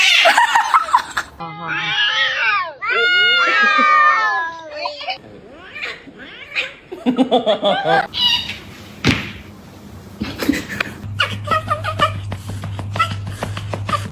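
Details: Domestic cat giving several wavering meows in quick succession, rising and falling in pitch, followed by people talking, laughter, clicks and a steady low hum indoors.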